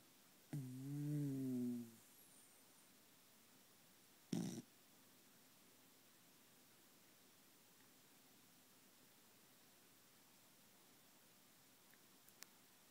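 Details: A male Pembroke Welsh Corgi gives a single low, rumbling snore, then falls quiet.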